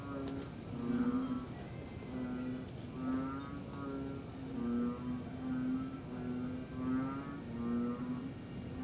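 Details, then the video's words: Frogs called after a September 2021 rain at night, with crickets also reported; deep humming notes with rasping pulsed upper tones come in steady succession, neighbouring callers answering one another, against a low continuous hiss. "Tree Frogs and Cricket Sounds After The Rain"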